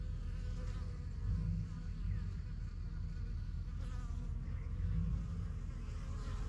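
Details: Foraging honey bees at the entrance of a strong yellow backyard hive; constant low humming swarm sound, swelling briefly louder as bees pass close, near 1.5 and 5 seconds.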